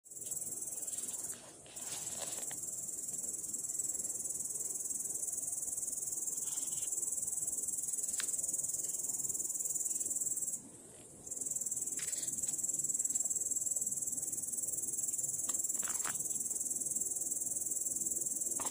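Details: A grasshopper sitting in grass, recorded 18 August 2017, gives a high, hissing buzz of stridulation that runs almost without pause and breaks off briefly twice.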